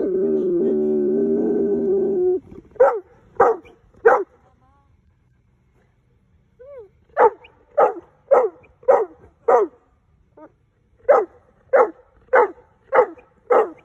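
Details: A big female Boerboel, excited that her mum is behind them, gives high, sharp yelping barks: a burst of three, a pause, then a long run of about eleven evenly spaced yelps, roughly two per second, after brief music at the start.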